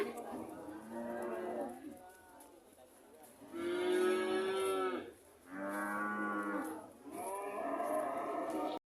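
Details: Cows mooing: after low murmurs come three long, full moos of about one and a half seconds each, separated by short pauses, with the middle one deepest and the first loudest.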